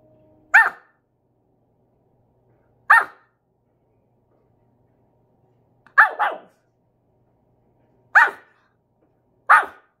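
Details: Choco, a male Pomeranian born 13 May 2020, during an eating challenge: five sharp, high yaps spaced two to three seconds apart, one of them doubled, with silence in between.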